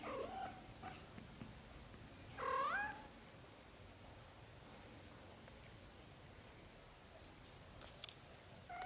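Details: A very young British Shorthair kitten, from a litter of four black golden and blue golden kittens, gives one clear wavering mew that climbs and then drops. A few soft clicks follow later over quiet room hiss.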